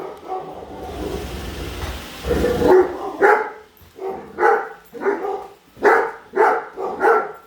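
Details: Great Dane Padme, hating the new Roomba, barks at it; a rumbling whir of the machine fills the first seconds, then repeated loud barks follow in a quick uneven rhythm.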